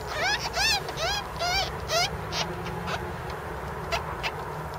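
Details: Baby ferrets, kits of a ferret named Cookie, give a quick run of about five high, thin squeaks with bending pitch within two seconds, then fainter scattered squeaks over a low, steady background hum.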